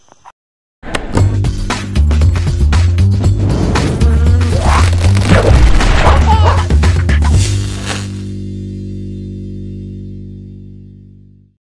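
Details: Loud rhythmic music with a steady deep beat and sharp thumps, ending in a long fading chord, with no animal voice heard.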